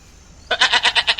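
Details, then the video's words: Farm goat in India letting out a single strongly trembling bleat, pulsing about six times in under a second, after a quiet start. "Goat Sound Videos"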